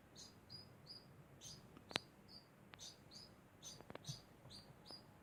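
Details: Constant degu chirping: quick, high, slightly falling squeaks repeated in a loose rhythm, broken by a few sharp clicks or taps nearby.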